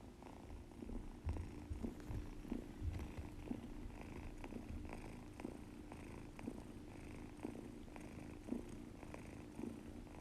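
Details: Munchkin kitten snoring while asleep, healthy despite seeming blocked-nosed: soft, rough breaths pulsing roughly once a second, each a low rasping puff with faint nasal wheeze, in a quiet indoor room.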